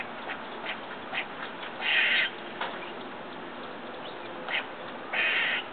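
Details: Squirrel outside a window next door, eating and making unfamiliar, strange noises; two loud harsh nasal calls about half a second long, with faint short ticks and clicks between them over steady background hiss.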